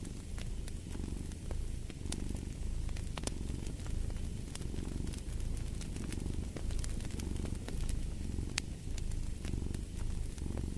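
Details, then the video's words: Cat purring next to a crackling fireplace, a deep vibrating hum rising and falling roughly every two seconds with each breath, dotted with quick pops and snaps from the flames. "Purring of a Cat"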